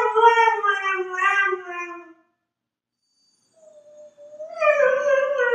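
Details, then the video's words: Dog howling indoors: a wavering, sustained howl fades out, followed by silence, then a quiet low note that swells into another loud, full howl. "Dogs Howling Compilation"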